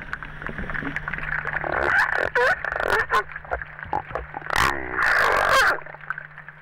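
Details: A crabeater seal in the Antarctic, apparently molting and rubbing itself on rocks, warbles underwater in wavering, bending tones; one of four previously unknown vocalizations, far richer than the simple grunt once known for the species.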